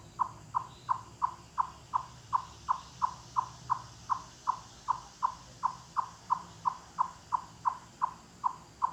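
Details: A chipmunk in the Great Smoky Mountains in late summer (August 29) gives a steady series of low, hollow, wood-knocking clucks, about three a second. Its whole body strains into these loud calls, which carry hundreds of yards through the forest.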